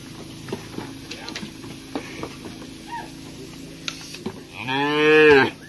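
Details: Ankole cattle giving a single deep, drawn-out moo of about one second near the end, rich in stacked harmonics and rising in loudness before stopping, after a stretch of soft clicks and faint rustling.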